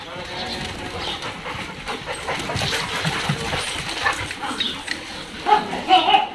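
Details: Dogs at a dog hostel, a boarding kennel in Jodhpur, filmed 22 May 2022; sharp barks and yips come in irregular bursts over steady human talk, with the loudest barks clustered toward the end.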